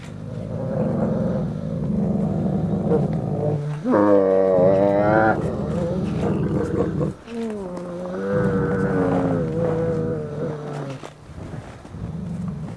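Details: Ambassador gray wolves in captivity during a dominance interaction, recorded 15 December 2008: overlapping harmonic growls and higher whining snarls swell and dip across several seconds, one sharp rising outburst near the middle, with shuffling movement underneath.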